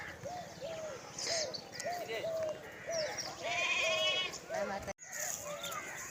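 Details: Lambs calling for their mother as they forage together, giving a run of short, nasal, arched bleats repeated about twice a second, then one longer trembling bleat, with a sudden cut near the end.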